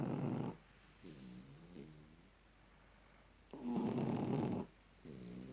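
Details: Shar pei named Tyson, dozing off after having his ears cleaned, snores steadily: loud rasping inhalations about three seconds apart alternate with softer, humming, groaning exhales.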